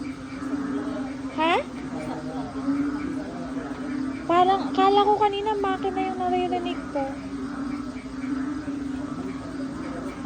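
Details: Frog chorus in the Philippines with more rain expected that night: a dense chorus of frogs merging into a steady low drone, loud enough to pass for machinery.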